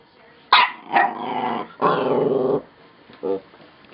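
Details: A puppy making strange yawning noises: a sharp opening yelp, then two sustained, rough, harmonic groans that hold steady, followed by a brief soft grunt in a quiet room.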